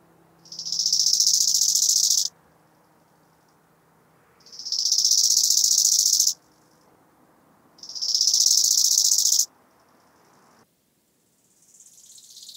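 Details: Chorthippus biguttulus stridulating at Hanfeld, Germany, 19 September 2021: three evenly spaced rasping phrases of about 1.7 seconds each, every one rising fast into a dense pulsed buzz, with quiet gaps of two seconds between.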